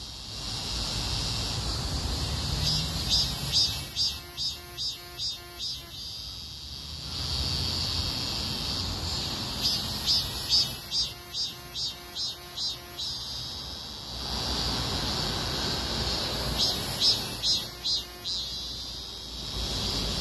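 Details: Cicadas chorusing along a street during a heatwave: a steady high buzzing that pulses in rapid beats, with louder stretches of stacked tonal pulsing roughly every six seconds.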